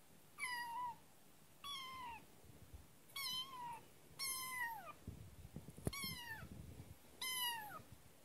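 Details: Kitten named Kotetsu, newly arrived at its home, meowing indoors: six high, thin, slightly falling meows spaced about one to one and a half seconds apart, with light handling rustles between calls.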